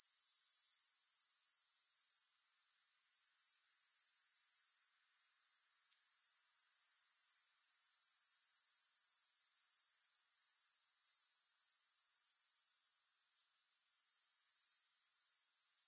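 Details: Grasshoppers heard in a soothing sleep recording, no music: a constant high, tightly pulsed insect buzz broken by three short quiet gaps, each followed by a gradual return to full strength.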